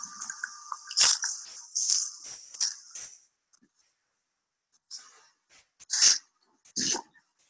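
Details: A group of mammal-eating killer whales handling a carcass and tearing bits off, with harsh crunching and ripping bursts, sounds that make clear a successful kill.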